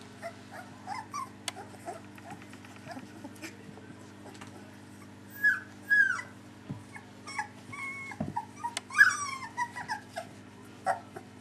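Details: Soft whimpers and short squeaks from a litter of three-week-old puppies, Aida and Oliver's pups. The cries come irregularly, with louder high bent cries around the middle and near the end, over a constant low electrical hum.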